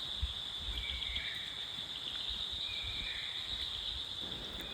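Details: Crickets in the pine forest around a heritage British bungalow in Takdah, Darjeeling, amid misty hills. They make a steady, high-pitched continuous buzzing drone throughout, with faint low rumbles and soft rustling beneath.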